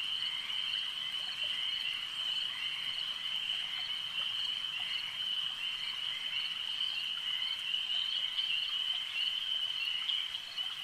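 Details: Lakeside frog chorus: many overlapping high, buzzy croaks merge into an unbroken ringing hum that holds steady at an even level throughout.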